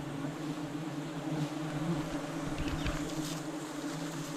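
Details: Dense, even drone of giant honey bees around a wild nest being harvested by a honey-hunting team, a 100 kg honey nest; constant low humming with faint rustling, no clear voices.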